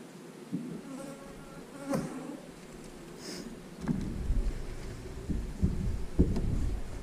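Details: Colony hum of honey bees from an 8-frame hive, a low droning buzz with faint steady tones early on, growing louder and rougher after four seconds amid clicks and handling bumps.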